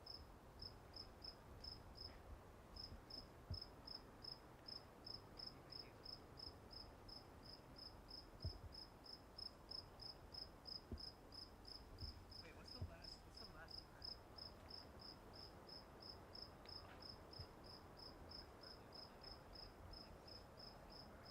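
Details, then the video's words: Cricket chirping at Walden Pond, short high pulses repeating evenly about three times a second throughout, with a constant low background hum and occasional soft knocks. "Sounds of Crickets at Walden Pond"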